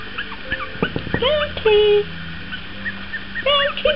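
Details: Two four-week-old Long Coat Chihuahua puppies, Bounty and Milo, learning to walk; thin high whines and squeaks rise and fall in short bursts, one longer sustained whimper midway, with a low hum and quiet human voice behind.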